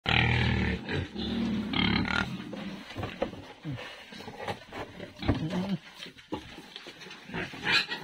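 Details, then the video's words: Pigs eating on a pig farm: loud, harsh, broadband grunting through the first two seconds, then irregular bursts of grunts and chewing noises, with quieter scuffling between them. "eating pig asmr"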